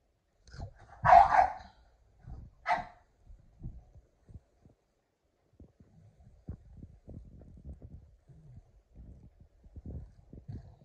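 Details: Boston Terrier playing tug with his red ball, letting out two sharp barks early on, followed by soft thumps and rustling of play.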